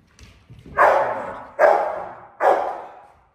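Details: A young Rottweiler doing protection training, a handler defense into a hold and bark with a pivot on a platform to keep a person at bay, gives three deep, forceful barks just under a second apart.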